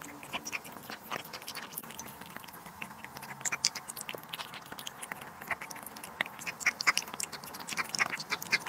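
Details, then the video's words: Pet cat chewing duck liver and sterilized egg, rapid sticky smacks and crisp clicks that grow busier and louder in the second half of the recording. "cat eating duck liver & sterilized egg"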